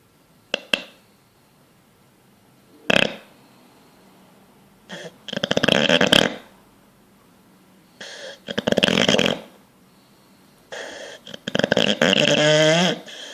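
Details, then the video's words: Sleeping bulldog, dreaming and twitching, snorts and snores in irregular rough bursts, some short clicks and longer rattling breaths, the last with a wavering whine-like edge, quiet pauses between bouts indoors. "Bulldog snoring dreaming twitching"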